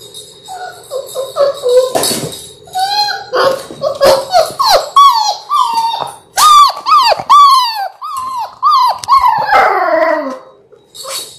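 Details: Six Labrador Retriever puppies, born January 18, 2022, in their sixth week indoors: almost continuous whining and short yelps, bending downward in pitch, with several pups crying over one another.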